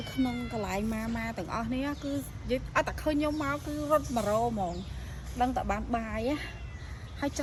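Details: Stray cats at a pagoda being fed, giving repeated drawn-out, wavering meows that overlap one another, mixed with a person talking and low background rumble.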